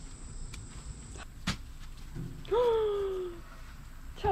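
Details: A pet Siberian Husky, one of two sister dogs, being offered watermelon to try, gives one drawn-out whine that rises briefly and then slides slowly downward for about a second. Soft thumps and footsteps come first, with steady background hum.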